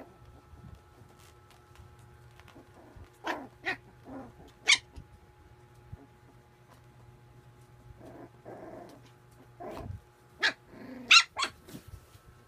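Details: A puppy at play gives scattered short, sharp yips and barks, some high and squeaky, with low growly rumbles between them and quiet gaps.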